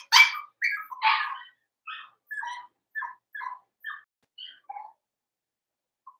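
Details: Blenheim Cavalier King Charles Spaniel puppies, from a litter of five born around New Year's, in an indoor puppy pen: a quick run of about ten short, high yips and barks, loud at first, then fading and spacing out, in a quiet room.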